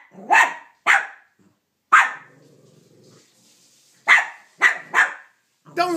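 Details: Cavalier King Charles Spaniel named Banjo barking at Minnie Mouse, who took his bone; six short, sharp barks in two bursts, separated by a quiet low growl, with a person urging him on.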